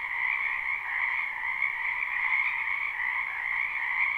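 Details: A spring wetland's frogs heard somewhat softer here, live recording: a smooth, continuous chorus of merged croaks forms an even buzzing hum with no breaks.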